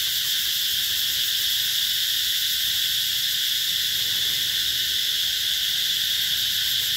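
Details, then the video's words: Summer cicada chorus recorded in 2021 at the Mỹ Luôn eco-tourism area, a continuous shrill electric whine, level and unchanging, layered in several high bands with nothing else clearly audible. "tiếng ve gọi hè"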